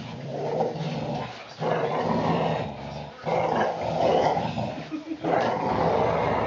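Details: Growling from puppies aged four weeks and four days, Mama Valentine and Hoyt, during afternoon play on March 18, 2013; steady grumbling growls rise in three or four loud stretches broken by brief gaps, little talking.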